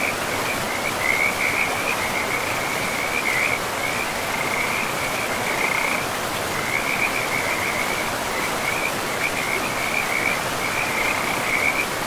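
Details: Beside a river deep in a pristine forest, several frogs keep up a near-continuous string of high, grating trills, bursts overlapping and repeating throughout, while the river's constant hiss fills the background.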